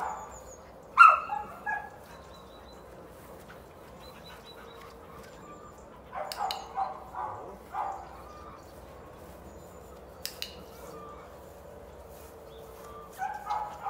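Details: Border Collie during obedience training, giving a single sharp bark near the start, then a short cluster of barks around the middle and another toward the end, with quiet stretches between.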